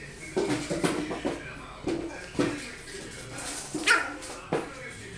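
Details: A two-month-old Yorkshire Terrier puppy, playing with a new toy ball and trying to bark at it, gives short, high-pitched yapping barks in uneven bursts, with faint voices behind.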